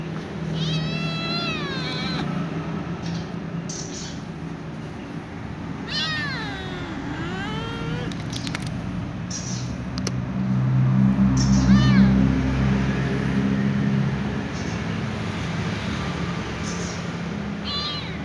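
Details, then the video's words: A ginger kitten rolling around on a glass shelf gives a few thin, high meows that rise and fall, over a steady low hum. "Ginger kitten meows rolling around on the glass shelf"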